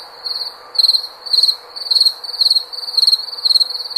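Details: A cricket sings in crisp, high chirps, each a quick burst of a few ticking pulses, repeated roughly every half second after a softer opening chirp.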